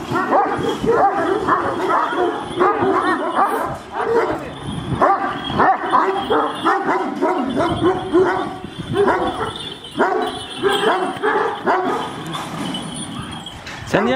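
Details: Kangal dogs, large and aggressive, barking at each other: continuous overlapping harsh barks from several dogs, with Turkish speech from people nearby heard through the barking.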